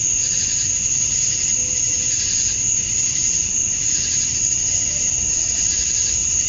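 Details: Male cicadas call for females at dusk during a summer night in Georgia, USA. A loud, seamless insect buzz holds a high steady tone while broad waves of rasping sound swell roughly every second or two.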